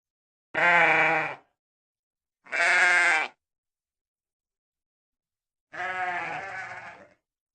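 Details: Sheep with three bleats: two quick nasal baas about two seconds apart, then after a pause a longer, quavering final bleat that fades out; no other sounds.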